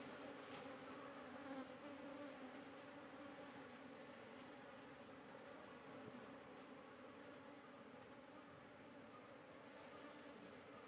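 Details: Honey bees at a kept hive while a beekeeper searches the frames for queen cells; a steady, low droning hum with a dense, even texture holds throughout, and faint higher hiss and thin tones sit above it.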